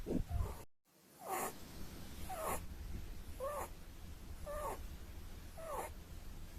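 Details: Pet Holland Lop rabbit asleep and snoring: after a brief cut, five short wheezy snorts follow about a second apart, each a nasal rasp with a slight squeaky edge, over low room hum.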